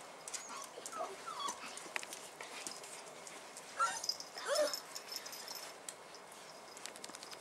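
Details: Young Bull Terrier puppies on their first outing, 18 January 2015, make brief, high-pitched whimpers and thin squeaks, scattered irregularly with louder bursts midway, over soft rustling and a steady background hiss.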